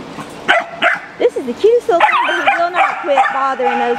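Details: Dogs at the Jackson, Tennessee rabies control shelter, among them a German Shepherd, wiener dogs, a Walker Coonhound and puppies, give high, wavering whines and short yips that rise and fall over a few seconds while a person talks nearby.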